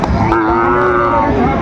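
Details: A short, even bovine low fills the moment at Raniganj market, Dinajpur, Bangladesh, during sale of Sahiwal bull calves in December, with human chatter and market bustle underneath.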